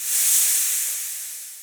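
A snake gives a long, breathy hiss that swells quickly and then slowly fades away.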